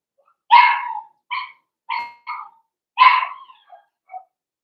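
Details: Blenheim Cavalier King Charles Spaniel puppies from a litter of five born on New Year's, indoors in a puppy pen; two loud high barks a few seconds apart, each followed by shorter yips and a trailing whine.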